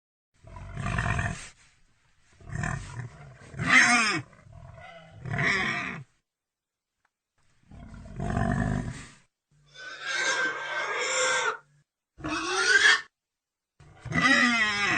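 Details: Pig alternating coarse, low grunts with shrill, wavering squeals in irregular bursts, roughly every second or two, with brief silences between groups.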